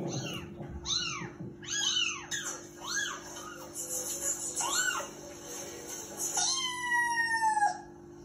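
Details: Persian cat named Snow meowing while watching TV: a run of arched, rising-then-falling meows roughly every second, ending in a longer drawn-out meow that slides downward; a steady low hum underneath.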